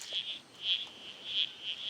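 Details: A chorus of perhaps 50 frogs, including red-crowned toadlets, gives brief, high-pitched squelchy notes in uneven, overlapping bursts. Once one frog calls the others answer, and they call louder when there is noise nearby.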